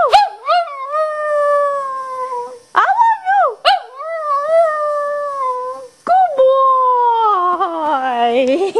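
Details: Shih Tzu dog howls in reply to a woman saying "I love you", in reality sounding annoyed. Series of long, wavering, gradually falling howls broken by short sharp yelps, ending in a rising drawn-out wail.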